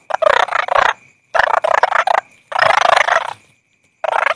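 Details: Four loud stretches of rapid, rattling toad croaks, each made of quick pulses, separated by short silences, a faint continuous high tone behind.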